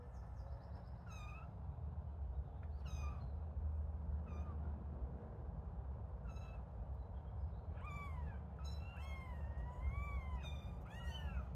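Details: Little kittens starting to play. High-pitched meows come in scattered single calls, then a quick burst of overlapping, wavering mews near the end over a constant low hum.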